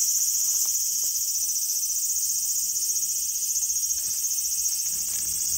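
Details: Small garden on August 5, 2020, filled with a cicada's sustained high-pitched whirring drone, slightly pulsing in loudness, with faint low rustles underneath.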